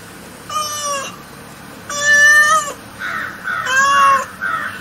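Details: Cat meowing non-stop: three long, steady, tonal meows, each under a second, over a constant background hiss, with harsh caw-like cries overlapping the last meow.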